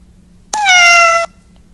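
A kitten gives a single high, clear meow that holds steady and then dips slightly at the end.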